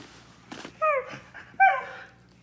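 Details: Siberian Husky complaining to its owner, who speaks Spanish; two short, whiny yelps, each falling in pitch, about a second apart, with a soft breathy noise before them.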